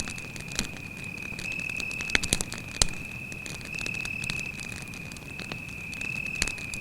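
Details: Continuous shrill trill of a cricket at night near a campfire in a forest, held steady across the whole recording, with frequent loud crackling and popping of burning wood.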